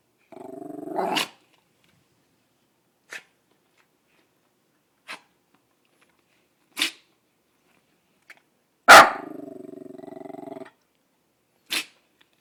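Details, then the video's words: Female dachshund-poodle cross named Daisy Doodle, worked up over nothing outside: a bark rolling into a growl, several short sharp snorts spaced about two seconds apart, then a loud bark trailing into a sustained low growl. "Cute Barking Dog Has a Sneeze Attack!"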